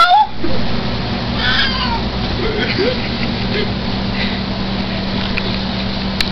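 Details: Chance, a Siamese mix pet cat, meowing indoors: short, soft meows rise and fall under a person's voice, over a steady low hum.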